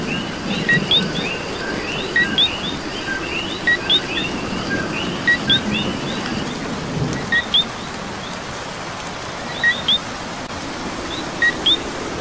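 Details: Coquis calling during rain in Puerto Rico: a chorus of short two-note chirps, a low tone then a higher upswept one, repeating from several frogs at once over steady rain hiss and low rumble.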